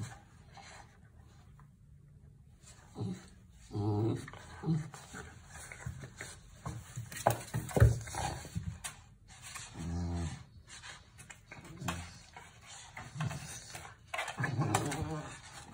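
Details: Vizsla puppy heard indoors in a small room, giving low growls and pants in short bursts every second or two, with soft rustling between the sounds.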